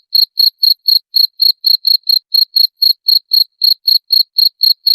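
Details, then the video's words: Unbroken cricket chirping meant to scare off rats: around twenty sharp, high, clicking pulses in five seconds, metronome-steady, on a silent background. "SUARA JANGKRIK PENGUSIR TIKUS"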